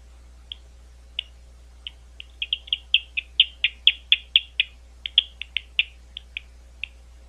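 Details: Bat calls recorded at Gwynne Conservation Area near London, Ohio: a few scattered sharp chirps, then a dense, rapid run of clipped pulses, several per second, before trailing off into isolated ticks.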